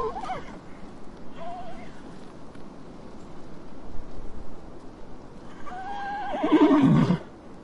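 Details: Horse whinnying: a brief faint neigh at the start and a short wavering call near two seconds, then a long, strong, trembling neigh that drops in pitch near the end.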